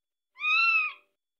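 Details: A young Scottish Fold kitten, crying as if wanting her mother, gives a single shrill, steady meow under a second that drops and fades at the close, before settling to sleep in her owner's arms.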